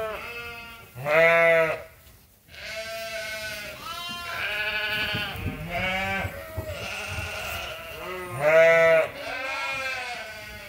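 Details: Farm sheep and lambs at Ewetopia Farms waiting for their feed during daily chores in lambing season; several loud harmonic bleats overlap, with a strong one near the start and another near the end.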